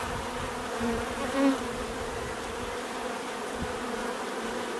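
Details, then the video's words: Continuous droning hum of many bees, steady and even, with a single insect buzzing louder as it passes close around the middle. "bees therapy relaxing natural buzzing sound"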